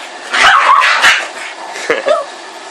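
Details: Boston Terrier and Pug mix dog, known as a Bug, at play, giving a few short, harsh, noisy barks and yips. A louder burst comes near the start, then two quicker, higher yips near the end, over a steady background hiss.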